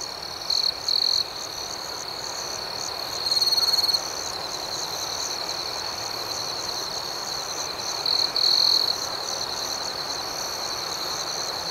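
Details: Chorus of crickets at night, a constant shrill pulsing hum with several louder buzzy trills from nearer insects, two early, one around a second long midway, and a pair late on.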